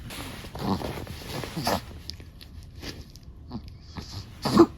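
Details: Sleeping long-haired black-and-tan Chihuahua indoors, snoring: soft breathy rasps repeat about once a second, then fade, ending in a louder snorting breath.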